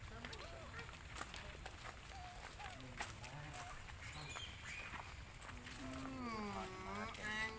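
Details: Baby monkey Lucie crying loudly, hungry and begging after her mother refused her milk; wavering, harmonic wails rise and fall toward the end, with voices and rural outdoor noise in the background.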